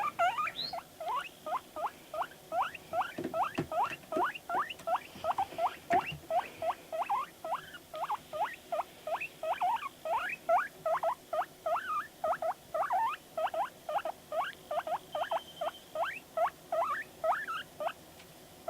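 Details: Long, unbroken run of rising squeaky wheeks from Panda, a pet guinea pig responding to videos, about two or three calls per second, all evenly pitched and continuing without pause throughout.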